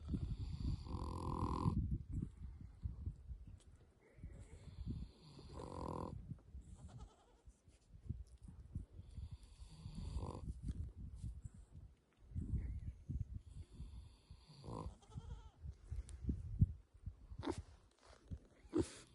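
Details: A pet pig asleep and snoring: low, rough rumbling breaths repeated every few seconds, with brief higher squeaky or snorting sounds between breaths and some background noise.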